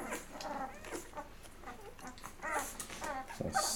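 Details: Day-11 Labrador Retriever puppies from Mocha's litter feeding until full indoors; several high, wavering squeaky whimpers overlap through the clip amid soft suckling and shuffling noises, with a louder burst of squeals near the end.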